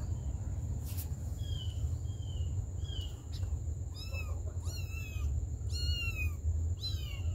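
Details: Kittens cared for by their mother cat give a run of high, thin meows, first scattered and faint, then a quick burst of sharp, bending cries in the final seconds, with low rumbling noise and a steady high hum behind.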